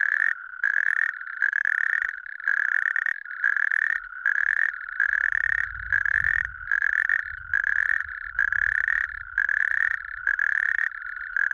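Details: A natterjack toad in Lääneranna parish, Pärnu County, Estonia, gives loud, rattling trills, each about a second long, repeated with short pauses.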